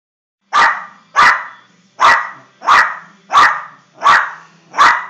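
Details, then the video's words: Jack Russell Terrier wanting a football, giving sharp barks repeated about every 0.7 seconds, seven in a row with a steady rhythm; a low hum runs underneath. "Jack russell wants foootball"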